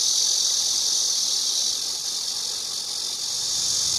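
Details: Shrill, sustained cicada buzz, high and hissing, easing slightly in volume midway and then swelling back, with no pauses.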